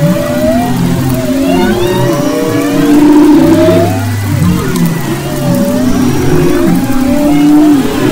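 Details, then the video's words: Humpback whale song recorded off the west coast of Maui in February 2011: overlapping tonal moans and upsweeping whistles between low and mid pitch, with low rumbling underwater background noise throughout. "Humpback Whales and Their Songs"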